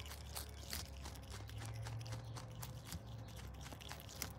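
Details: Pet Brush Tailed Possum named Paula munching lettuce, silverbeet and carrot; dense wet crunching bites over a low hum in a small room.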